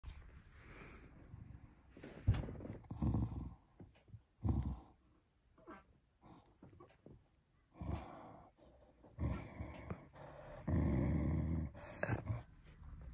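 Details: A corgi, angry on its owner's bed, growls in rough low bursts separated by breathy pauses, the longest and loudest rumbles coming near the end.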